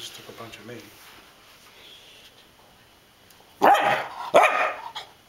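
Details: An 11-week-old English Springer Spaniel puppy, playing fearlessly with an alligator head souvenir, gives two loud, sharp barks after some quiet human speech.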